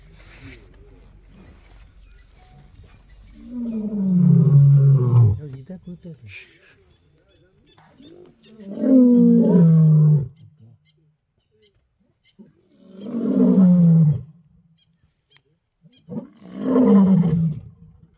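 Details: Two male lions marking territory in Kruger National Park give deep, powerful roars in a series, four long falling groans spaced about four seconds apart, each loud and harmonically rich, with quiet gaps between.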